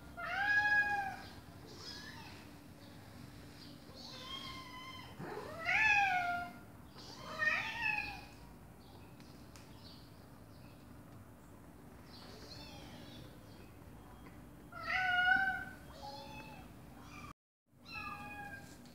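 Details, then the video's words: Mother cat and her baby kittens: bursts of high kitten meows, some loud and sharply arched, separated by quieter gaps, with a short complete dropout near the end and a soft hum throughout. "Mom Cat Talking to her Meowing Baby Kittens"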